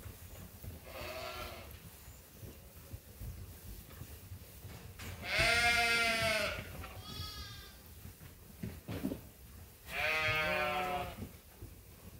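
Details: Waiting for feed on Ewetopia Farms, sheep give a few drawn-out, trembling bleats, one loud call near the middle and another toward the end, over low background rumble.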